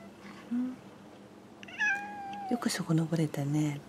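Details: Pet cat greeted in the morning indoors, giving a short, steady, mid-pitched meow with clear overtones, followed by a person talking in a small room.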